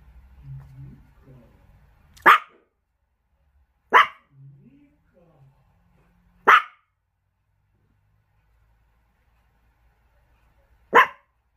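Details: Pet Chihuahua at home giving four sharp, high single barks spaced irregularly about two to four seconds apart, with a long pause before the last; faint low rustling and murmurs between barks.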